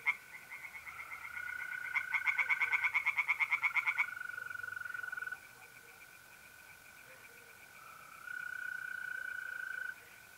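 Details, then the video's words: April night at a pond in North-East Italy: one short burst of quick pulsed tree frog croaks lasting about two seconds, then mostly long steady mole cricket trills starting and stopping. "relaxing singing tree frogs in pond and trilling mole crickets by night"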